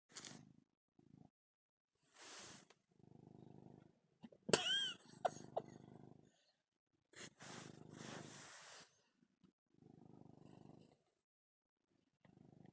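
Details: Domestic cat purring while kneading his bed, the so-called motorboat sound made while making biscuits; soft low rumbling bursts in breath-paced pulses with gaps, broken by a few brief louder rustles and clicks.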